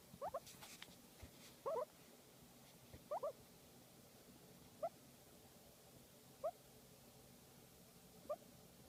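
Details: Guinea pig being massaged, making sparse short double chirps with gaps of one to two seconds, quiet between, some rustling and a soft hum in the background.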